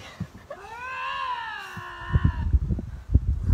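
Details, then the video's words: Lynx screaming match: a drawn-out, harmonic wail that rises and then slowly falls over about two seconds, with low thumps and handling noise around it and a person talking nearby. "Lynx screaming match"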